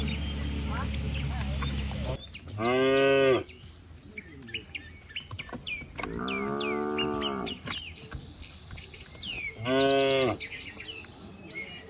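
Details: Village cattle herd running and leaping down a green hill; three full, resonant moos, the middle one longest, with small birds chirping in the gaps.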